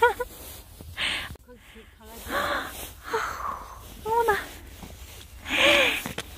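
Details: Young mixed-breed countryside puppies, recorded 6 February 2022, let out brief rising yelps and squeaks between breathy, hissing bursts of noise. The calls are scattered irregularly through the scene.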